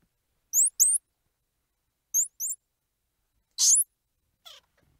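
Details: Two pairs of sharp, high rising chirps from a squirrel monkey, then a louder harsh squeal and a faint trailing call, set against near silence.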